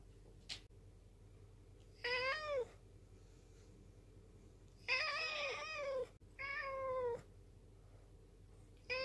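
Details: Rescued black cat from a mountain village, saved in 2013, appeals to its owner with a string of four or five meows, some rising and falling in pitch, coming at irregular intervals of one to three seconds.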